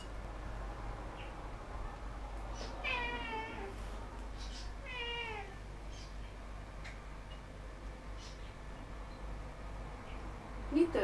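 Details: Pet cat on a table indoors, apparently guarding fish: two wavering, descending meows about two seconds apart, then room noise and a brief human voice at the end.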